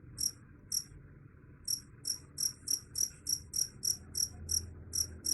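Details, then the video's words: Cricket, said to drive away rats; sharp high chirps in short bursts, irregular at first then quickening to about three per second, quiet low background hum. "Suara Jangkrik _ Bisa Usir Tikus"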